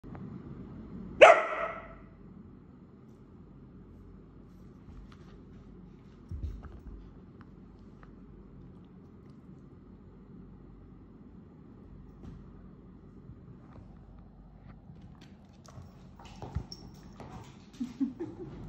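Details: A whippet indoors gives one sharp, loud bark early on, followed by long near-silence with faint thumps and a few soft sounds toward the end.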